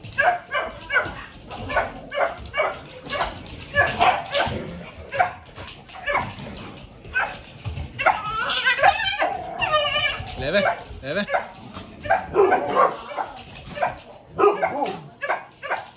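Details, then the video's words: Several vocal dogs in a busy mix: rapid repeated yips and barks through the first half, then wavering whines and yelping cries in the middle, with a noisy background throughout. "Dogs are all vocal"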